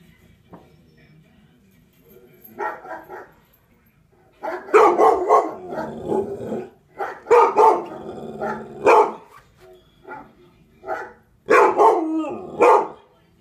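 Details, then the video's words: Pet dog barking at a dog barking on television: bursts of loud, sharp barks in rapid uneven runs, quieter barks early on, then dense clusters in the second half. "My dog barking at a dog barking at tv"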